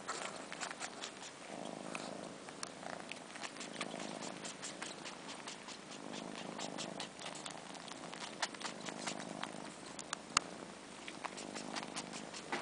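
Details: Four-month-old kittens missing their mother, one sucking its own long fur like a nipple while a sibling joins in, indoors; soft purring swells in slow cycles about every second beneath wet slurping and frequent sharp sucking clicks.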